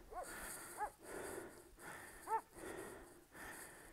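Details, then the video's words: Zalim the Kangal shepherd dog, stuck on rocky ground, gives short high arched whimpers, three brief cries spread over four seconds, between bursts of heavy breathing in open countryside. "ZALIM KAYALIKLARDA MAHSUR KALDI"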